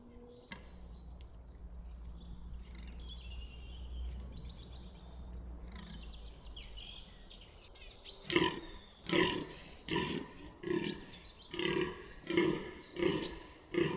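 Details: New Forest fallow deer buck at Bolderwood: about eight seconds of quiet woodland with distant birds and low rumble, then a rapid run of seven harsh, belching groans under a second apart.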